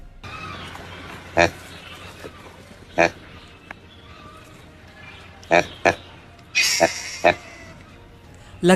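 Proboscis monkey giving short, nasal honking grunts, single or in quick pairs, every second or two, over a low background hum.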